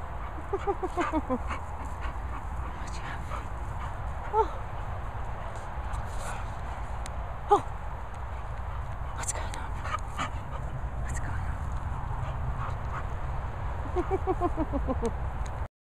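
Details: English Bull Terrier called Princess Poppy, excited and feeling fresh, gives bursts of high, wavering whines and yips near the start and again at the end, with quieter whimpers between, over steady background hiss and scattered clicks.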